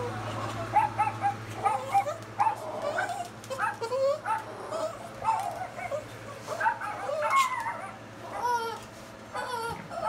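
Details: Boston Terriers, woken from sleep, react to barking dogs played on YouTube with a busy string of short, yipping barks and whiny, rising-and-falling cries.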